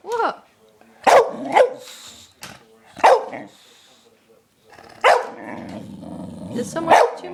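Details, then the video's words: Lennox the dog, on a sugar high after stealing a belVita, lets out a series of short, sharp, high yelping barks, roughly six bursts spaced one to two seconds apart, with softer whining sounds between them. "Lennox's funny noises"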